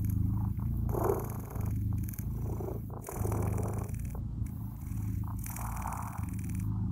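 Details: Blue British Shorthair kittens purring with a steady, low, rumbling purr that runs almost without pause, broken only by a few brief dips, with faint rustling above.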